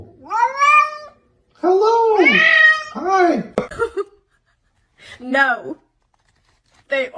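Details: Domestic cat giving loud, drawn-out meows with rising-then-falling, arched pitch, several in a row separated by short pauses, in a lively room with people talking and laughing nearby.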